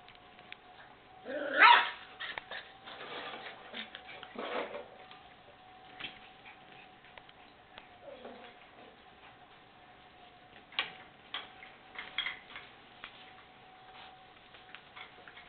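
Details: White Miniature Schnauzer puppies born 21 December 2012, playing with other puppies, give short, sharp yips and small barks in scattered bursts over a steady low hum.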